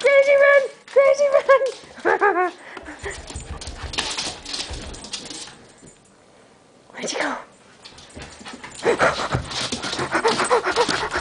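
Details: Duke, a Keeshond, makes a run of high, wavering whimpers and short yips at the start, with clear tonal rises and falls, then broken, noisy sounds and people talking through the rest.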